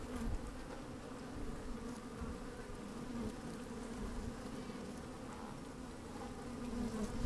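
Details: Inside an opened beehive on a sunny, slightly windy day, worker honey bees moving about give a continuous layered humming drone, with brief brighter buzzes rising out of it and low wind noise underneath.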